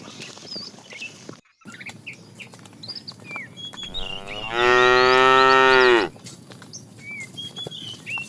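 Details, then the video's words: Tame fat cow, calling the female while being herded in the afternoon, gives one long, steady moo of about a second and a half, level in pitch, amid frequent chirping of small birds. "The funny sound of a fat cow calling the female"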